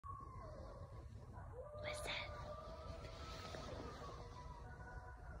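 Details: Coyotes howling in the dark in the suburbs, with long drawn-out wavering notes overlapping against a low background rumble.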